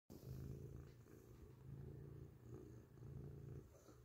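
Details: Grey domestic cat purring loudly up close: a steady low rumble with slow swells in loudness, a short clip with little else heard.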